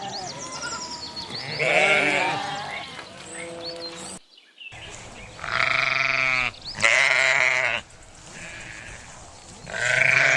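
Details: Sheep bleating: long, wavering, nasal baas repeated several times, some rising and quivering, separated by short quiet gaps.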